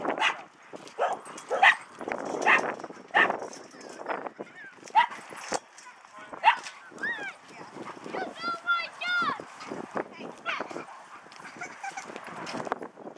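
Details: Dogs at play in a dog park: sharp barks scattered throughout, then a run of high, arching yelps near the end, with people talking nearby over the whole stretch.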